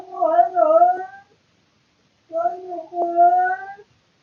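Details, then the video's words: Bored male house cat at night, filmed by a surveillance camera indoors, giving two long, strange, speech-like yowls that bend upward and then level off, separated by about a second of silence. "Cat makes weird sounds in the middle of the night"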